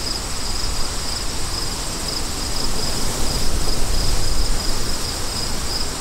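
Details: High cricket trill pulsing in quick, even beats, half-buried under a heavy roar of wind that rises and falls.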